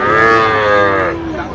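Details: Sahiwal bull calf at Nawabganj, Dinajpur, Bangladesh, on 23 August 2025, giving one loud, rich, harmonic moo of about a second that holds steady and then slides slightly lower before fading.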